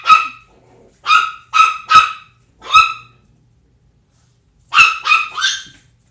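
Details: Pitbull named Zelda together with a 10-week-old Chihuahua puppy named Sumac; sharp high-pitched yappy barks in short bursts, a single bark then a quick run of three, another lone bark, and a final cluster of three after a pause; quiet background.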